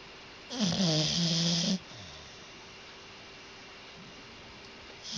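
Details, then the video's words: Sleeping dog snoring: a single rasping, buzzy in-breath with a low voiced drone lasting just over a second, followed by a quiet stretch of room hum before the next snore starts at the very end. "Funny Snoring Dog Compilation 2018"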